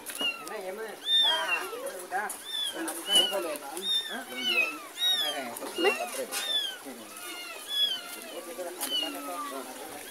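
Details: Mother cat trailing her kitten as it is carried between a neighbour's yard and a house; dense, overlapping thin meows arching up and down throughout, faint human voices beneath.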